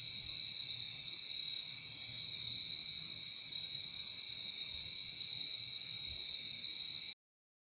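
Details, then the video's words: Crickets trill steadily in a shrill two-layered drone for about seven seconds before the sound cuts off abruptly into silence. A faint low rumble sits under the insects in this relaxing nature recording. "Relaxing sound of crickets"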